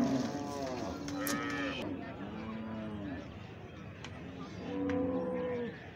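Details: Calf making several short, soft moos with slightly arching pitch, a few sharp clicks and knocks in between, and a louder higher moo near the end.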